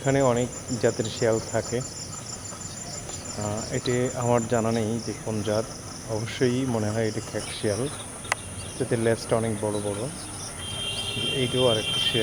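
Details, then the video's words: Jackals calling at night: overlapping wavering, quavering wails with rising and falling pitch, repeated in bursts across the whole stretch, over a constant high insect-like hum and faint background noise. "of fox fox sounds at night"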